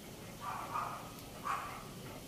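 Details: A Chow Chow dog, excited to go for a walk, gives two short, tonal, whining cries, one near the start and another about a second later, over a quiet background.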